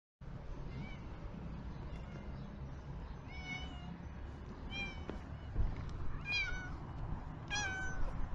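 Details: Ginger male street cat in Türkiye during Kurban Bayram, hungry, meowing loudly for help while running toward a familiar person; four clear rising-falling meows spaced about a second apart against steady low outdoor rumble.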